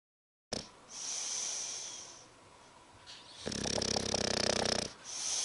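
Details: English bulldog Spike asleep and snoring, a long hissing whistle-like exhale followed by a harsh, rattling snore of about a second and a half, then another airy breath.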